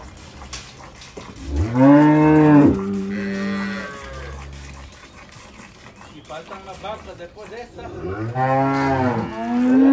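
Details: Milking cows in the Salvadoran countryside, in a hard season for the herd, give two strong lowing moos that bend up and then fall, several seconds apart, with softer mooing and farm noise between them.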